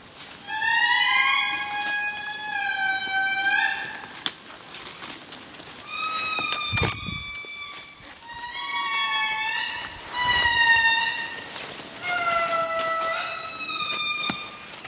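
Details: Several indri lemurs wailing in Analamazaotra National Park, Madagascar: long, sustained, strongly harmonic notes in overlapping phrases that swoop and glide downward, separated by short pauses, with a brief knock near mid-recording.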